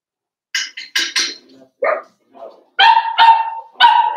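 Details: Four-week-old Cavalier King Charles Spaniel puppies from Daisy's litter, in their pen on a puppy cam: a few short harmonic yips, then longer ringing yelps with a steady whining tone near the end.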